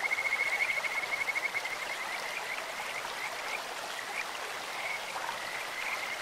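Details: Stream-dwelling Kajika frog gives a bright, rapidly pulsed high trill for almost two seconds, then softer scattered notes follow over steady flowing-water noise.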